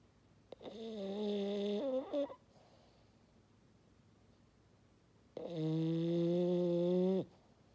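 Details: French Bulldog named Maddi snoring indoors, two long tonal foghorn-like snores about four seconds apart, each a steady low harmonic drone lasting one to two seconds, quiet room between.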